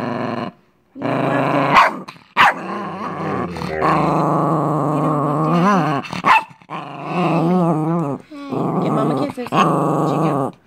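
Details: Pet Chihuahua Chico, hostile toward the owner's boyfriend, keeps up snarling growls in phrases of one to two seconds. Short pauses and a few sharp, higher snarl bursts break them up, and the pitch wavers throughout.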